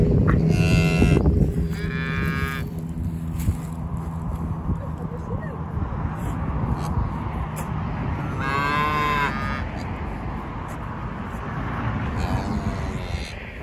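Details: English Longhorn cattle at Loseley Park around a cow giving birth: deep, drawn-out moos with rich harmonics, several calls spaced a few seconds apart, some strained and rising, over steady low background rumble.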